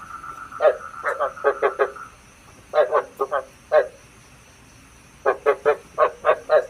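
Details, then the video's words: Lure frog calling, meant to attract frogs into night traps: clusters of short, gravelly croaks separated by quiet gaps of over a second, over a steady electronic tone. "Tiếng ếch mồi chuẩn 99,99% cho ae bẫy đêm tham khảo"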